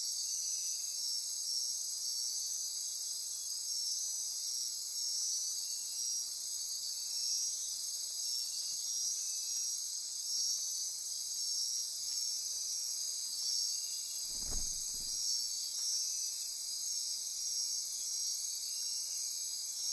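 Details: Dense night insect chorus in Costa Rican rainforest near Corcovado National Park on the Osa Peninsula: steady high buzzing and pulsing trills in several layers, with a brief low thump around the fifteenth second.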